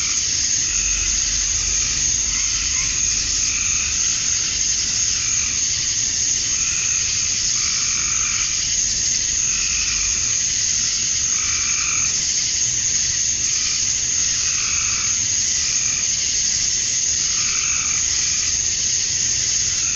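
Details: Male cicadas chirping to attract females at dusk on a summer night in Georgia, USA. A steady high, hissing drone runs throughout, with softer, lower-pitched calls recurring every few seconds beneath it.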